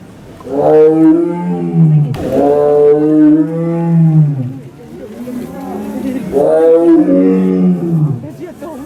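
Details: Captive male Amur tiger at Asahiyama Zoo in Japan, born 2009 in America, delivering three long, deep, moaning roars in quick succession, each sliding slightly downward, with a brief click between the first two.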